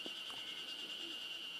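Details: Ezo spring cicadas keep up a steady, high, shimmering buzz without a break, heard at a cool cold-air wind-hole valley in early summer.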